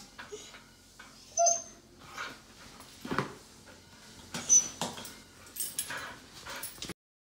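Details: Pasepon, an elderly Samoyed, indoors and excited because he mistakes a trip to the hospital for a forehead post-surgery check for an outing. He trembles after being told to sit and insists on leaving. A brief thin whine rises near the start, followed by scattered yips and snuffling bursts.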